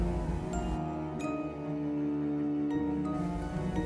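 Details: Instrumental music with soft mallet percussion, bell-like chimes and sustained low tones; no animal calls.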